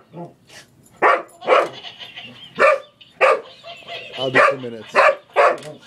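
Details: A pet English Springer Spaniel named Boomer wrestles a laughing toy monkey, letting out a series of spaced, sharp barks after a quieter start, with faint human voices in the background.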